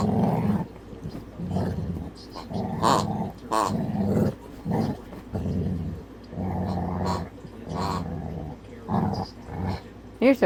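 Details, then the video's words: A pet puppy softly growls at his squeaky toy pig when it makes noise: low, rumbling growls in short bursts of about a second, repeated throughout, with occasional quiet human speech in between. "softly growls at his piggy when it makes noise"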